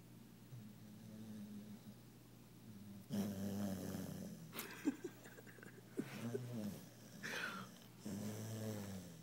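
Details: Alli, a worn-out female puppy, sleeping deeply after a fun day, twitching; quiet low breathing gives way to louder rasping snore bursts, several irregular snorts and wheezy exhalations over the second half.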